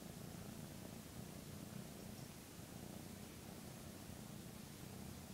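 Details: Young Maine Coon, a male kitten aged 13 weeks, purring while giving its owner a kitty bath, licking them early in the morning; a low, steady, throbbing purr over soft background hiss, unbroken from start to end.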